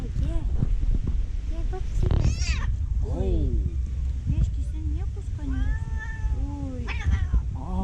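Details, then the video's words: A fluffy tortoiseshell she-cat, described as jealous, gives weird, funny noises while eating: repeated bent, wavering meows and chirrups, some long and falling, over a woman's steady Turkish and English coaxing speech. "Fluffy cat making funny noises while eating"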